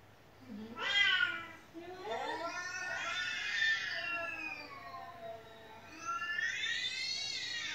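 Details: Pet cat at home crying without stopping, answered with played-back meowing: a string of wavering, overlapping meows, a short sharp one first, then longer bending cries, ending on a rising, strained wail.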